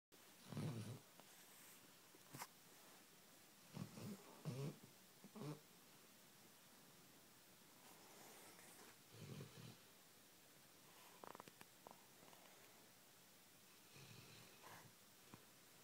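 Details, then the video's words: A sleeping pet Labrador Retriever snoring softly: low, rough, rumbling breaths in short bursts a few seconds apart, with faint breathy rasps between them and otherwise quiet surroundings. "Labrador snoring"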